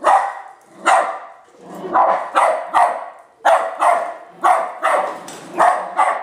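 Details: West Highland White Terrier barking at a toy R2 robot; loud, sharp barks in quick bursts, often paired or tripled, roughly one to two per second with short pauses between volleys.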